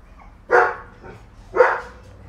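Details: German Shepherd puppies, solid black and dark sable, from a litter born 12 March 2019, giving two short, bright barks about a second apart over a quiet background.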